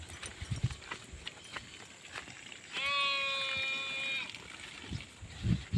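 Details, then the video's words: A single sheep lets out a long, steady bleat lasting over a second, rich and nasal, with low thumping and shuffling noises before and after. "SHEEP SOUNDS FOR KIDS - Learn Baaing, Bleating, Yelling, Screaming and Meh Sound Effects of Sheep"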